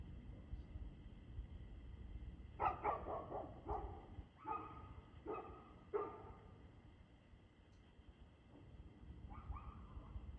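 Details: Dog heard barking at 6:02 pm on 2 June 2024. A quick run of about six sharp barks comes in a row, followed by a pause, then a couple of fainter barks over a low, constant hum.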